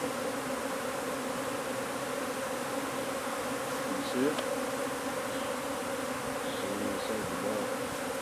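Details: Honey bees from a wild hive under a wood pile in McAllen, Texas, during removal and relocation, keeping up a dense, steady droning hum with bright bands around the middle pitches; a brief knock or voice-like sound rises midway.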